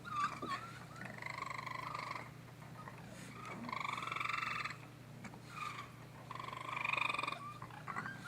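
Baby raccoons cry in high, whiny, quavering bursts over a steady low hum.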